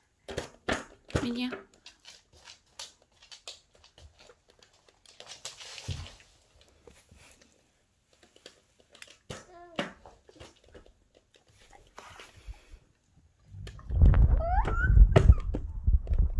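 A Golden Retriever chews a crunchy cookie, making rapid, uneven crackling and snapping bites in a small room. Near the end a child starts speaking loudly over the chewing.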